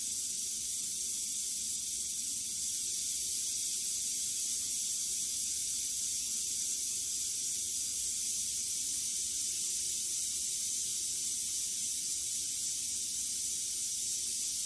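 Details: Continuous dry, high buzzing from a western diamondback rattlesnake during the quick killing of a mouse, holding an even level for about fifteen seconds without pauses or other voices.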